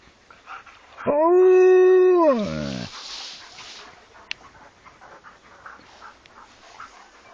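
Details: Alaskan Malamute giving a single howl of under two seconds: a steady, rich harmonic tone that jumps up at the start, holds level, then slides downward as it fades, followed by quiet background with one sharp click.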